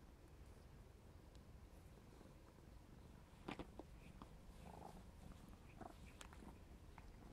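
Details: Young Maine Coon Clarence, black smoke type and 4½ months old, purrs as he plays; a low steady rumble with sharp clicking and tapping sounds in the middle section.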